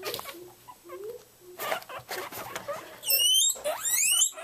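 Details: Pet guinea pigs, Elli among them, getting excited as vegetable time nears around 10 a.m.: high rising whistled squeals in the second half, after softer chirps and a woman's voice in the background.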